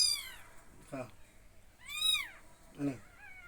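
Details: Kittens taken in from a garden and fed milk, giving high, arching meows that rise then fall, one after another across a few seconds, with brief human speech between cries.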